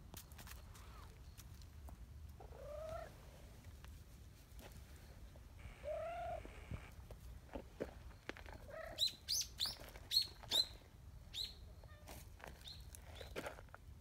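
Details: Nyahha, a brown tabby community cat, chatty and affectionate at a cat gathering, gives a few soft, drawn-out meows spaced several seconds apart, while bright, short bird chirps repeat toward the end over a quiet outdoor background.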